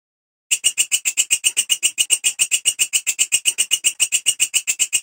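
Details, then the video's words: Grasshopper known locally as belalang kecek or walang kerik, kept as a master sound for tutoring songbirds. Starting after a brief pause, a bright rasping pulse train runs evenly at several clicks per second. "Suara Belalang Kecek / Walang Kerik"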